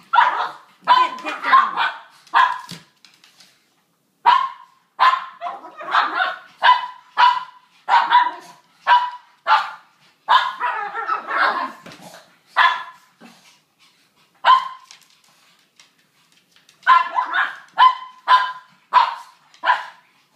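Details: Rough play among three Brussels Griffons named Bogart, Gatsby and Garbo: rapid, sharp yapping barks fire in dense runs, each burst a few seconds long, broken by brief silences, with one faint human voice.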